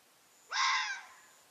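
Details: Japanese red fox calling beside an expressway viaduct, hesitating to cross while a person waits with a camera, then returning to the woods opposite. A single hoarse, harsh scream of about half a second, rising sharply at the start and rich in overtones, over a quiet background.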